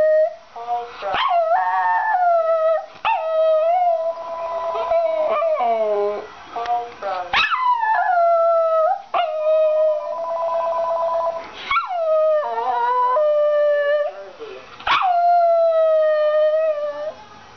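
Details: A Cairn Terrier that hates the voice of a talking phone reacts with a run of yelping barks that stretch into wavering, mid-pitched howls.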